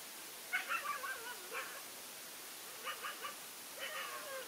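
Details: Big Asian dog waiting for the battle, producing scattered yelping barks and short whiny notes in small clusters with pauses between, set against constant rushing background noise.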